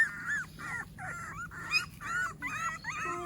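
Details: American Pit Bull Terrier puppies during their morning routine after feeding, giving a run of high whiny whimpers and yelps, each rising and falling, in quick bursts about every half second with brief gaps.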